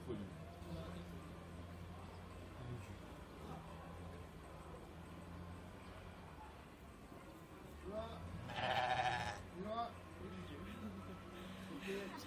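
A guanaco lets out a brief, harsh, bleat-like call that stands out as the loudest sound. Human voices and a steady low hum fill the background throughout.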